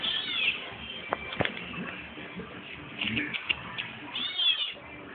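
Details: Cat meowing twice, with short, high, arching cries at the start and near the end, and talking, background music and a few sharp clicks in between.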